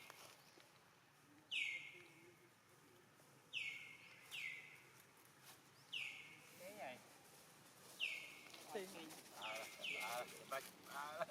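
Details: Abandoned monkey screaming: high, shrill cries that start sharply and slide downward. They repeat roughly every two seconds and grow more frequent toward the end, with quiet human voices talking underneath.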